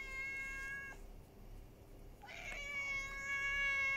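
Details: A female ginger cat that turned up at a house one evening in July 2021, meowing to demand help: a harmonic meow cuts off, then after a pause a second meow swoops upward and holds long and steady, with room hiss behind.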